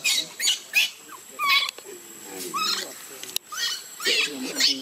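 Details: Baby monkey screaming and crying as its mother leaves it in the water; shrill high screeches repeated in bursts about every half second, some with lower wavering tones between.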